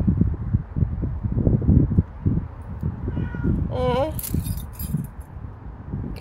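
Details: Pet cat filmed on 14 July 2024 making a short, wavering meow of under half a second amid a person's chatter and rustling background noise.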